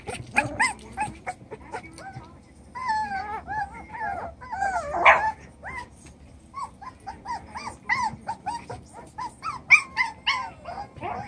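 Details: Chocolate brown Toy Poodle puppies, seven weeks old, playing in their newly doubled pen: many high, bending whimpers and squeaky whines tumble over each other, with short sharp yips and faint background music.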